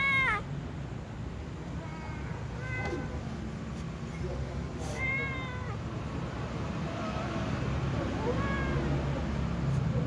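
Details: Kitten, tom cat and other cats meowing ahead of feeding time: a series of short, fairly quiet meows, some rising then falling, scattered across the stretch with soft clicks and a constant low rumble behind.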